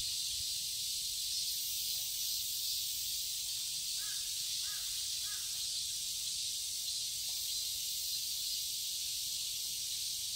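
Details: Garden cicadas in Seoul, Korea during summer, a continuous high-pitched sizzling drone throughout, while a distant crow gives a few faint caws around the middle.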